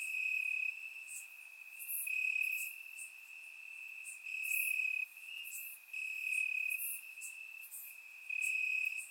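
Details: Summer-night crickets chirping in grass in Bulgaria, surround-microphone recording: an unbroken high trill that grows louder in stretches of one to two seconds, with brief, thin, higher chirps overlaid.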